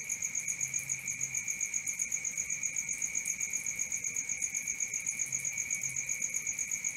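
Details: Crickets calling at night, a dense rhythmic chirping near four pulses a second with a high ringing layer above a lower one, constant from beginning to end.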